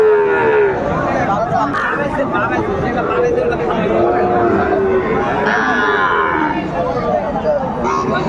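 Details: Sahiwal cattle at a crowded market in Brahmanbaria, Bangladesh, 31 May 2024: short, low, wavering moos at the start and midway, partly buried under dense overlapping human speech and crowd hubbub.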